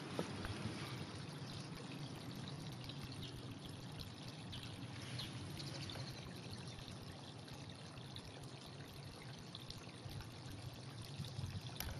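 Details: Steady pouring and trickling water fills the recording, with no animal calls audible.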